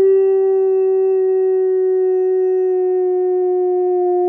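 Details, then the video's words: Female pet dog howls along with a fire truck, one unbroken, flat, sustained mid-pitched tone with strong overtones lasting the whole stretch, barely wavering in pitch. "Dog has a good old howl at a fire truck"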